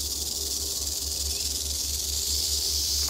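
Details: Eastern diamondback rattlesnake in Florida holding a defensive pose while a person interacts with it. It gives a sustained, even, high-pitched sizzling rattle for the whole stretch over a soft, low background hum.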